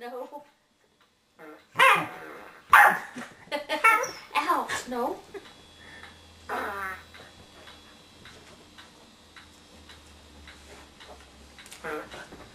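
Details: A house corgi barks at a remote control whoopie cushion hidden beneath a sofa cushion. A cluster of loud yapping barks comes early, then fades to quieter, scattered yips over a low hum and some talking.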